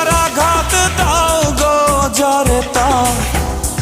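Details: Bollywood-style song with a sung vocal melody and instruments, without any animal sound.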